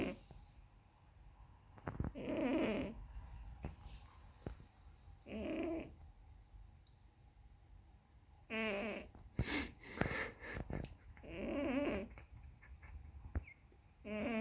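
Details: Sleeping cat snoring: rhythmic rasping, buzzy breaths lasting about a second, recurring every few seconds, with a cluster of sharper clicks and rustles in the middle.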